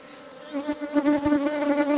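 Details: In spring in Kashmir Valley, 25 April 2022, Indian honey bees (Apis cerana indica) at a hive entrance fly in and out, giving a steady, low droning hum at even pitch that swells and fades as individuals pass close.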